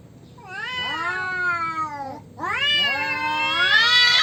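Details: Two male cats quarrel over territory: two sustained, rich yowls, the first sliding gently downward, the second climbing steadily and growing louder and shriller toward the close.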